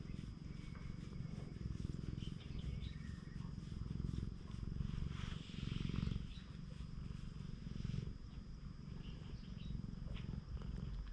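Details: Stray cat on a cat island in Japan purrs as its body is petted, a low rumbling drone rising and falling with each breath, with soft rubbing and rustling from the hand.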